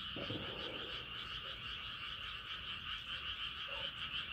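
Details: Night chorus of frogs under a rising moon, many callers blending into a continuous shrill, pulsing trill, with a few short, deeper croaks near the start and near the end.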